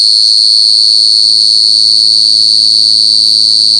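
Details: Cricket calling at night: a loud, steady, high-pitched trill, held continuously without a break and evenly pulsed, with no other sounds clearly heard.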